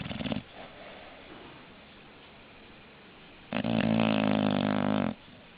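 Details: Snoring English bulldog: a brief rough breath at the start, a few seconds of quiet, then one long, loud, buzzy, rattling snore of about a second and a half.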